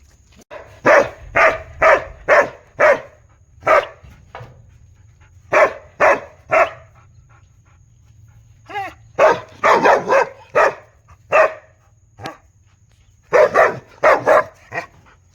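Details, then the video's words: Loud barking of a big dog in repeated runs of four to six deep, rapid barks with short pauses between, one brief whine in the middle, and a faint high hum underneath. "Big Dog Barking Sound Effect|dog barking sound"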